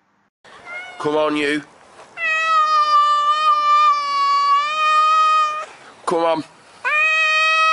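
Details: Pet cat giving one long, steady, even-pitched meow of over three seconds, framed by short downward-sweeping chirps and a second sustained meow at the end.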